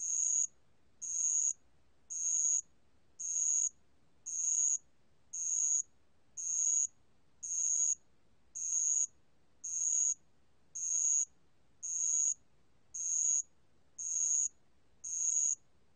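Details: Bell cricket calling, recorded 2020: a long steady run of about fifteen piercing, bell-like chirps spaced just over a second apart, very regular rhythm, quiet surroundings.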